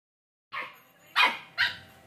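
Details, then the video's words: Two-month-old Samoyed puppy barking: three short, high yappy barks spaced about half a second apart, the second loudest, in a quiet indoor setting. "Cute dog barking sound ***Samoyed 2manth puppy"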